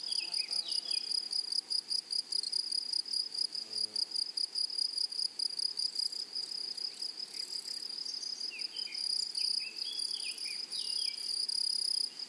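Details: Grasshoppers in a prairie meadow keep a bright, steady, pulsing buzz going, roughly two and a half beats per second. Scattered downward-slurred bird chirps come at the start and again in the second half.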